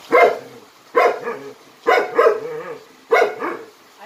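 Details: Jindo dog from a Jindo dog performance troupe barking, four sharp barks about once per second, each followed by a softer, lower yelping echo, with a quiet background between.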